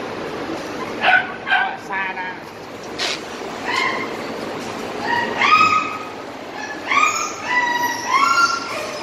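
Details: Tricolor Corgi with VKA papers and a microchip, presented for breeding, gives a series of high, rising whines and short yips in bursts about a second apart, while people talk nearby.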